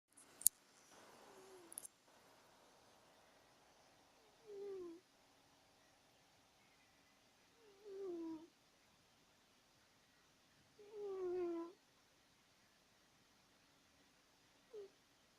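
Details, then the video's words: Woodward, a pet cat, snoring while asleep, loud enough to confuse overnight guests: soft, downward-sliding tonal snores roughly every three to four seconds, faint against a quiet room, with a few sharp clicks at the start. "Our Cat Woodward Snoring!"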